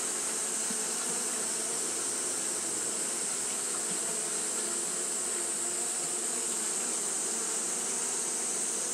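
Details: Japanese honey bees fanning nonstop on a hot day, a dense steady drone of layered low humming tones under a constant bright high-pitched hiss, no pauses throughout.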